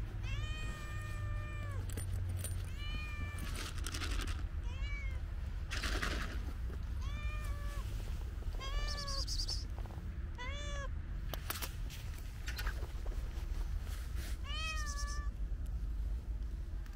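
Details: Hungry female cat behind a park fence begging for food; a long run of short, rising-then-falling meows, about ten calls roughly one to two seconds apart, over steady low-frequency rumble and occasional clicks.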